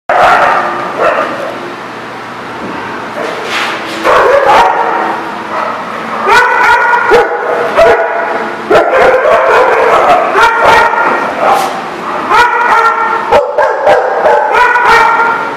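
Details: Dogs at The Barking Lot on 23 November 2018 give a dense run of overlapping yips and barks, quieter and sparser at first, then loud, rapid and nearly continuous, with whiny tonal notes mixed in.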